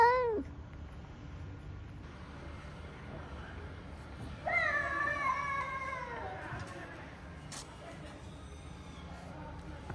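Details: Sick, hungry stray cat seeking love: a brief meow at the start, then after a pause a longer harmonic, slightly falling meow of about one and a half seconds, with soft background noise.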